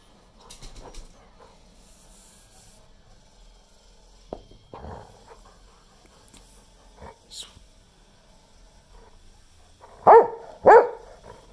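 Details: An 11.5-year-old English Springer Spaniel gives two sharp, loud barks in quick succession after a mostly quiet stretch.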